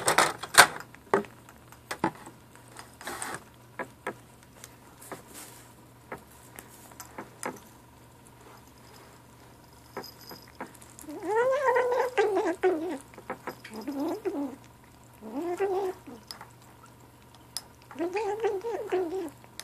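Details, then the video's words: Ashe, a gray kitten aged 7 weeks, vocalizes while eating. Around ten seconds of clicking and clattering come first, then four wavering harmonic calls of about a second each, spaced irregularly. "Kitten lunchtime talk"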